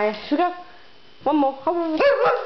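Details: Maya, a pet dog wanting a walk, recorded in summertime. Three bursts of high yipping whines rise sharply and then level off, separated by short pauses, with a person speaking nearby.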